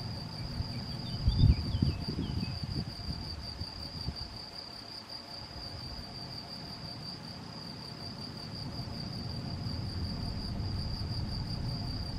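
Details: Continuous shrill trilling of a male Gryllus campestris, filmed 7 May 2021 in Macieira da Maia, Vila do Conde, Portugal, using a Canon PowerShot SX70 HS; constant pitch, low wind rumble beneath and a short knock near the start.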